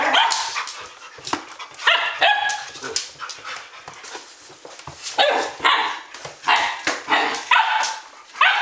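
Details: Several Standard Poodles barking at midnight on 12 August 2014: quick overlapping barks and yelps in irregular bursts, some high and ringing, others short and clipped.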